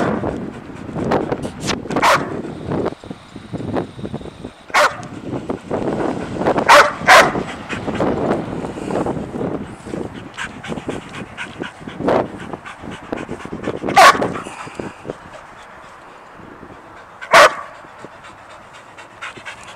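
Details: Excited pet dog Sadie reacting to a squirrel out of sight, giving scattered short sharp barks and yips at irregular intervals over steady panting and rustling, with the loudest bursts near the middle and one late single bark.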